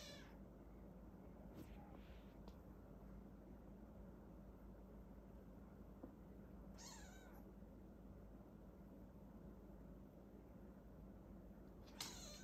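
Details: Maine Coon mother cat with her kittens, a Border Collie dog helping look after them; one thin, high, downward-sliding mew near the middle, with a couple of brief soft squeaks earlier, over a steady low indoor hum.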